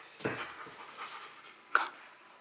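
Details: Rottweiler named Bruno, confused at first but persisting to win the prize in a box maze challenge, panting: two short breathy bursts about one and a half seconds apart, with a soft hiss between them.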